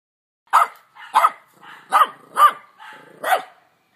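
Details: Dog barking in a short series of six sharp, mid-pitched barks spaced about half a second apart, with softer breathy sounds between them. Nothing else is heard.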